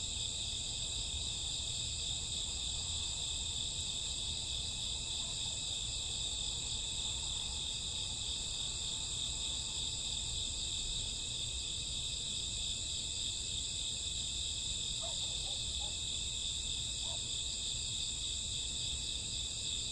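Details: Cricket chorus on a summer or autumn night, unbroken high ringing trills in several layers, with a few faint short chirps from another caller around fifteen to seventeen seconds and a low soft background rumble.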